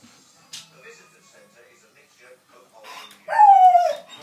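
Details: A 6-month-old Alaskan Malamute puppy gives a short, high, tonal howl that slides downward in pitch.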